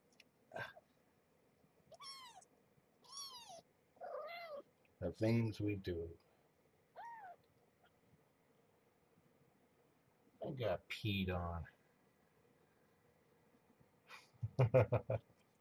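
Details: Mother cat Marge, once a very pregnant stray, and her growing kittens at Purrfect Pals during morning feeding with extra formula; several arched, high-pitched meows rise and fall, interspersed with human speech in a small room.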